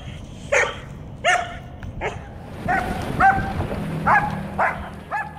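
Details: German Shepherd female in training for aggression, reactive to dogs, cats, squirrels, birds and vehicles, lunging and pulling on walks; a run of about eight sharp, harmonic yelping barks, irregularly spaced, with low rumbling noise underneath.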